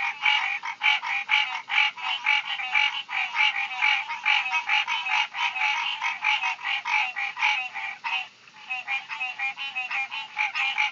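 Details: Loud summer tree frogs in a continuous chorus of grating, pulsed croaks, roughly two per second and overlapping, keeping a steady raspy rhythm with a brief dip near the end.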